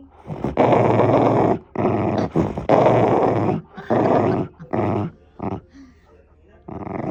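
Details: Engine-like growls from a pet Shiba Inu indoors: several loud, gravelly rumbling bursts of about one second, then shorter grunts trailing off into quiet at the end.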